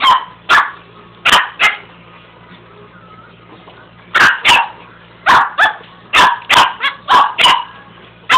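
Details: Dog barking at a carpet sweeper: spaced single barks early, a quiet stretch with only the sweeper's low hum, then a dense flurry of sharp barks near the end.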